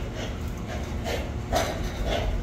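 Piglets cough in short, harsh bursts every half second or so over a steady low barn hum.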